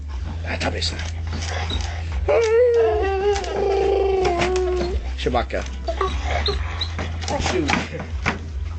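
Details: Female pet dog indoors, trying to bite apart a stool and making strange noises: a long, wavering, nasal whine-groan sustained for nearly three seconds, surrounded by short clattering chewing sounds, people talking and a steady low hum.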